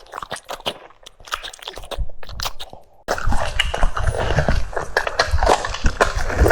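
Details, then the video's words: French Bulldog biting into cucumbers: sparse distinct crunches at first, then a sudden louder stretch of continuous wet chewing and crunching after a few seconds. "The sound of chewing cucumbers"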